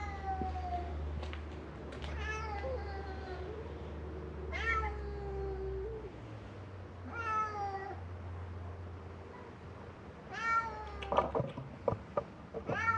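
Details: Feral cats of Mare Island Naval Shipyard, Vallejo, California, crying in hope of food; long drawn meows with rising-then-falling pitch every two to three seconds, low engine-like rumble, closing clicks and taps.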